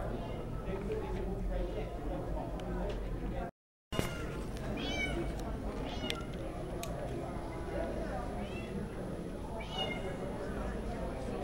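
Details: Meowing from Havana Brown cats, three eight-month-old females shown at the Woodland Complex Community Center in Portage, Indiana, June 2011; a few brief arched mews spaced seconds apart, with a brief cut, amid constant hall murmur and voices.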